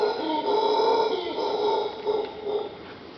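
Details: Howler monkeys right outside a bedroom at Punta Uva, Costa Rica, on 2 August, before breakfast, give a deep, droning, guttural roar that swells and wavers without a break.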